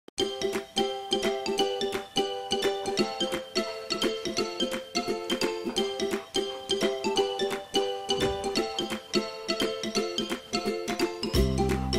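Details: Bright plucked ukulele-style music with a steady rhythmic strum fills the recording, and no animal is heard.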